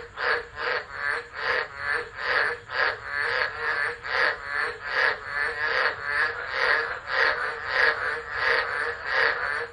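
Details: Frog chorus during a tropical storm at Driver, Northern Territory, Australia, in December, captured on a phone set down and left; loud raspy, pulsing croaks repeat roughly twice per second, overlapping into a steady throbbing rhythm.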